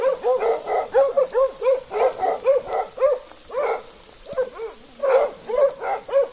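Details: A Plott hound with an American foxhound in Russia barks in quick, ringing pairs and triplets, roughly two or three a second, pausing briefly midway, with overlapping voices.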